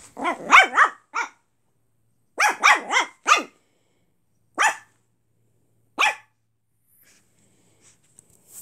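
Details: Zorro, a pet Brussels Griffon, being cheeky to the cat Salem: sharp high yappy barks in quick bursts, a cluster of about five, then another four, then two single barks spaced apart, quiet room otherwise.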